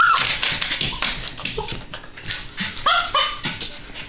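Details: Miniature Schnauzer puppy Baron von Augenbraue frets at pasta with cheddar set out of reach on a coffee table, giving short high whines and yips over a busy background of scuffling and thumps.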